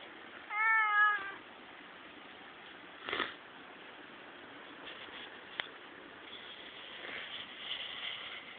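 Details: Cat at a peace museum in Monomiyama, playing with a visitor: one clear harmonic meow near the start, then quiet room tone with a few soft knocks and faint rustling.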